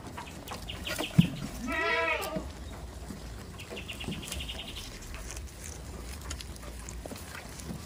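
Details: A village farm goat gives one strong, quavering bleat that rises and then falls over about half a second. Faint high chirps and low farmyard rumble fill the rest.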